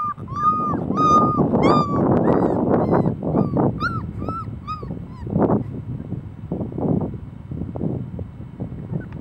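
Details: Puppies whimpering and squeaking, thin high whines rising and falling in quick overlapping bursts over a busy background of shuffling and low thumps, calls tapering off in the second half.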